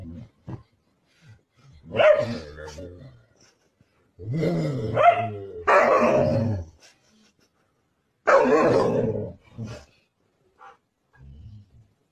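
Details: Husky giving low, throaty grumbles and short barking vocalizations in uneven bursts, with brief quiet gaps between them and faint background sound.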